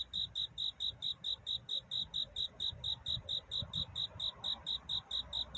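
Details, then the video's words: Love song of a cricket at night near dawn: crisp, bright, high-pitched chirps pulsing about four per second in a very even rhythm over quiet low rumble. "편안한 잠을 부르는 귀뚜라미 울음소리. 슬퍼 말아요 우는 것이 아니라 사랑을 찾는 노래랍니다"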